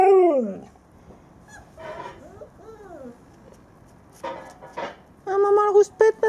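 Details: Nuna, an Alaskan Malamute mother, grumbling at her nursing puppies: a falling whine tail at the start, then a burst of short, harmonic-rich whines and yelps near the end, with a woman talking over it.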